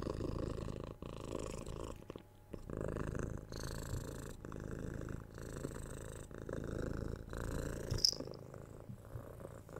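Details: Six-month-old kitten being cuddled, patted and kissed, purring loudly up close: low rhythmic rumble broken into breath-length phrases, a brief pause after two seconds and a soft kiss sound near the end.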